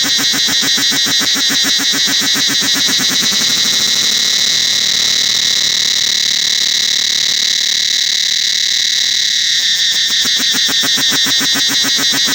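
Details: In the forest of Angkor Wat temple, a cicada chorus keeps up an intense piercing drone while quick pulsing beats sound at the start, fade away through the middle, and return strongly near the end.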